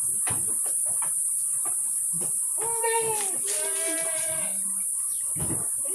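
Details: Kaligesing Etawa goat, part of a herd of would-be breeding bucks and does in Purworejo, Central Java, gives a long wavering bleat around the middle, with a shorter low call after it, amid tapping, knocking and a constant high hiss.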